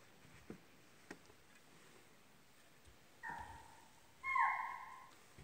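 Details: Deer calling in the Pilibhit Tiger Reserve forest: two clear tonal calls near the end, a shorter one followed by a louder one that starts sharply and drawls on a falling note. Earlier, only soft ticks over a quiet background.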